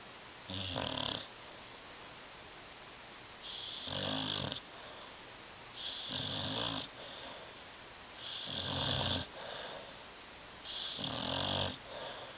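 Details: Sleeping dog Tyson on a love seat giving five steady, rough snores about every two and a half seconds, each a drawn-out raspy rumble with hissing overtones, with quiet pauses between them.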